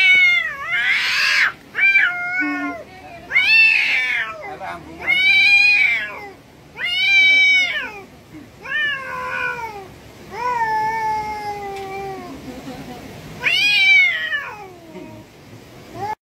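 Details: A cat meows repeatedly, about eight drawn-out, wavering mews over sixteen seconds, some rising and falling, others flat and long, with brief gaps between them and faint background sounds.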